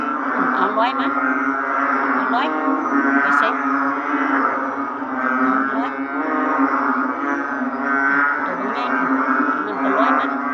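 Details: Narrow-mouthed frogs, with every kind said to be present, calling together in a packed chorus: overlapping low, droning, bleat-like notes that merge into a steady hum with rhythmic swells throughout.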